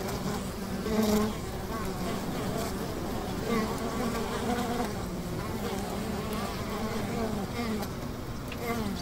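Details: Low, even buzzing from a honey bee hive near a river, a massed drone with brief louder surges near the start and middle over a constant hum.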